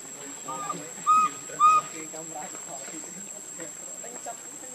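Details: Baby monkey Lucie crying from hunger for milk: two short, clear tonal wails in quick succession, each steady then slightly falling, over a faint rustling background with a steady high hiss.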